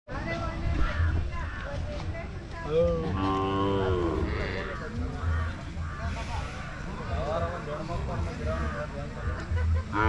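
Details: Hallikar cattle at the Jodugatte cattle market, with one drawn-out moo of about a second in a noisy crowd of voices and general market bustle.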